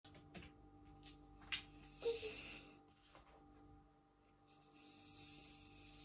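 A German Pinscher gives thin, high whistling whines instead of barking, over a faint steady indoor hum.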